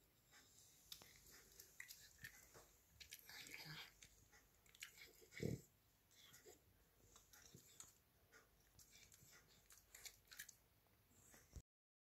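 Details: A Cavalier King Charles Spaniel gnaws a candy-cane-shaped dog chewing bone, making soft, irregular crunching and clicking sounds.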